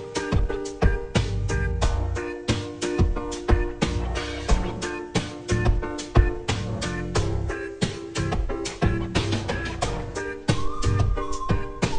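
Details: Upbeat jazzy music with plucked guitar and a steady drum kit beat fills the whole stretch, with no animal voices standing out.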